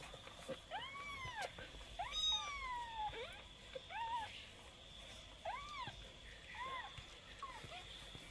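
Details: Kitten, twenty days old, mewing repeatedly: about eight thin, high, arched mews roughly one per second, some short and some drawn out, over a faint constant electrical whine indoors.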